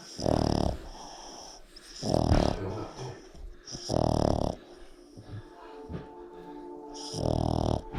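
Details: Tired out after more than an hour of chasing a squeaky toy at Thanksgiving, Coco the female Boston Terrier snores in four harsh, wheezing bursts roughly every two seconds, with quieter breaths between them.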